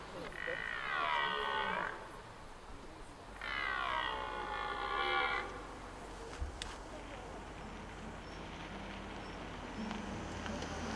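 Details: Rutting red deer stag at Hoge Veluwe park, Netherlands, 2023, giving two drawn-out, rasping roars of roughly two seconds each, separated by a brief pause, then quiet outdoor background with faint low noise.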